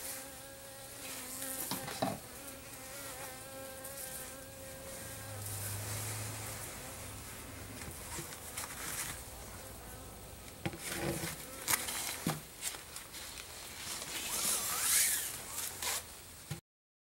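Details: Honey bees wintering in a garage in freezing December conditions buzz with a wavering hum while being fed sugar, mixed with scraping and handling noises.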